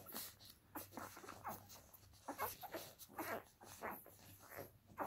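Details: Two-week-old Akita puppies give brief, soft squeaky whimpers in scattered bursts, mixed with breathing and scuffling noises from the litter.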